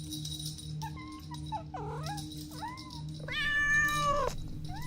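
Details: Kittens playing with their mother and siblings give short, scattered mews, then a longer, steady meow near the end, all over soft background music with a steady low hum.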